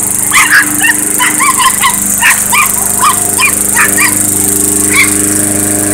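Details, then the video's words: A Chihuahua barks at a running lawnmower: rapid, high, sharp yaps in quick succession, about two to three per second, over the steady droning hum of the mower engine. "Lawnmower vs Chihuahua"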